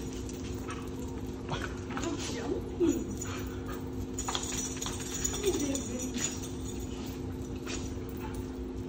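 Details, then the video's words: Dog reunited with its owner after a 15-day board-and-train stay, giving two short, high whimpers a few seconds apart amid people talking and rustling. "Koda's Owner Reunion"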